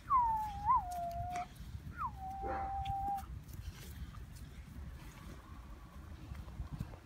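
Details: German Shepherd puppy whining: two drawn-out high tonal whines, the first sliding down and wavering, the second rising briefly then held level, followed by quieter rustling and faint background noise.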